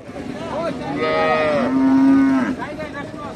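A calf gives a drawn-out, nasal moo that starts higher and settles into a steady low tone.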